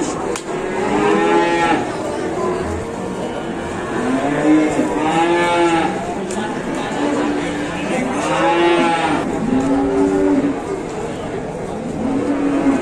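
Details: Market cattle in Indonesia, large animals lowing repeatedly: a series of rich, rising-then-falling moos every few seconds from several individuals, amid constant crowd chatter and a faint thread of music.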